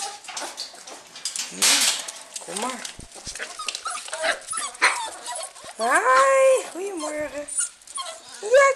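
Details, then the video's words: Lakeland Terrier pups, eight weeks old, waking up in June 2014: scattered yips and squeaks, then a run of clear, bent, nasal whines near the end, while a woman greets them warmly in Dutch. "Lakeland Terrier Pups 8 Weeks Waking Up"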